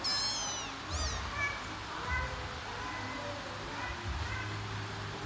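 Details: A mother cat searching for her kittens calls them to follow, with high, thin mews over a low background hum.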